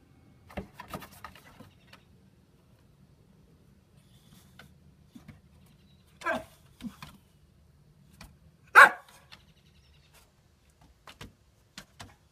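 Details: Titan, a male boxer dog almost nine years old, kept as a pet and chasing reflections indoors, gives a few short barks and yips, with one loud bark near the end, separated by quiet gaps and faint clicks and bumps in a small room.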